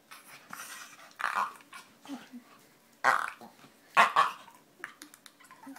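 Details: Pet dog making funny noises indoors, a run of short breathy grumbles and snorty yips in irregular bursts, some louder than others, with quiet pauses between.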